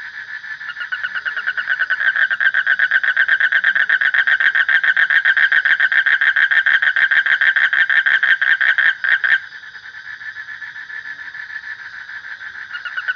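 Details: A frog's rapid, rattling call builds from soft to loud, pulsing several times a second for about seven seconds, then cuts to a quieter background trill that begins swelling again at the close.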